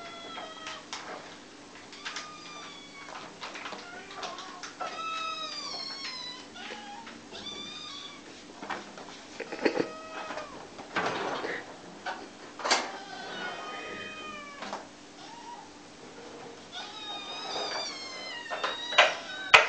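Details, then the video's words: A hungry kitten demands food with loud meows, bursts of rising-then-falling harmonic cries, several calls overlapping, a quieter stretch in the middle, then renewed rapid meowing with a few clicks and knocks. "Mèo con đói quá kêu inh ỏi đòi ăn"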